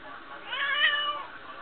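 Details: Smokie, a female pet cat that likes telling her owner what is on her mind, gives one drawn-out meow that rises and then falls, with rich harmonics, in a quiet indoor setting between her owner's remarks.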